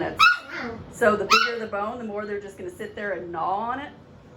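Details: Puppies of seven weeks giving a busy stream of high yelps and drawn-out wavering whimpers, calls overlapping and following one another almost without pause, fading softer at the close.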